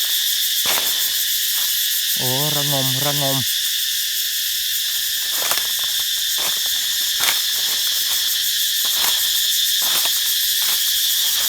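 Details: Cicadas calling in chorus everywhere in a planted forest garden in Thailand: a dense, continuous high buzzing drone with pulsing texture, over which a brief low harmonic hoot-like sound rises at about two seconds, plus scattered clicks and footsteps.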